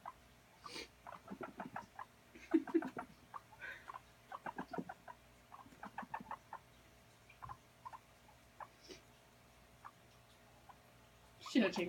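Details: Guinea pig at play, running around, giving repeated short putt-like notes in clusters over about twelve seconds, with brief human voices at moments and a louder voice at the close.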